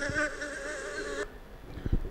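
A fly's steady, droning buzz, slightly wavering in pitch, holds for just over a second, then cuts off abruptly, leaving a few soft thumps.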